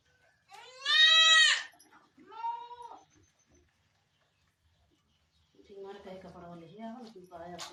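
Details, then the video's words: Barbari goat in labour at a farm in Sultanpur: one long, loud, quavering bleat, then a shorter weaker one, followed by a stretch of human talking. "barbari goat delivery time"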